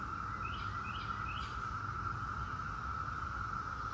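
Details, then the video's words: Droning chorus of 17-year Brood X periodical cicadas holding one steady pitch, while a bird gives three quick rising chirps about half a second apart early on. "17-Year Cicada Brood X Sounds"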